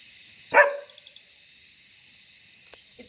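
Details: German Shepherd puppy in training on the "watch" guard command, giving a single sharp, harsh bark early on, followed by near silence with faint clicks and a brief sound at the end.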